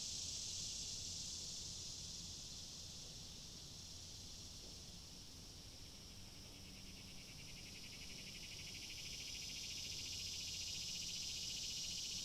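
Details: Cicadas in a continuous high, shrill droning chorus that swells, dips slightly in the middle, then rises again, with a faint low hum beneath.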